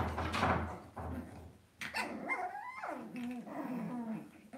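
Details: Young Cavalier King Charles Spaniel puppies in an indoor pen give whining whimpers, tones sliding up and then dropping in long wavering curves, after a burst of rustling and scuffling at the start.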